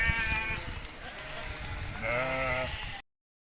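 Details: Hisori sheep, a ram breed from Tajikistan, on 20 May 2023 in a summer mountain pasture: two wavering, harmonic bleats, one in the first half-second and a longer one from two seconds on, over low rumbling background noise.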